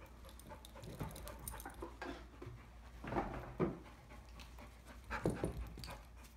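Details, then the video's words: Five-year-old female Pit Bull mix, still over-excited while waiting indoors to be collared for a walk during an obedience training session; soft, irregular panting bursts roughly every second or two, with faint room noise. "now it's still a little bit more excited than I like as you can hear the dog breathing heavy but she waited"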